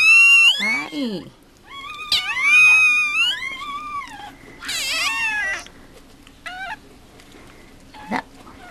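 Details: Mame Shiba Inu newborns, umbilical cords still attached, just delivered by Rin at Mameshiba Village Housansou in Japan. Loud, wavering, rising-and-falling wails come in bursts and are followed by shorter squeaks, with a woman's voice and faint music.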